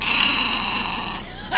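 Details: Bonnie the Cairn Terrier, being tickled, gives a continuous loud rasping snarl lasting over a second, with a steady buzzy tone that gradually weakens before a sharp final burst.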